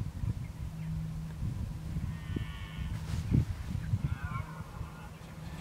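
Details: Red deer bellowing in October 2014 while preparing for the rut: two drawn-out harmonic calls with a rising then falling contour, the second wavering, heard over a steady low rumble of wind.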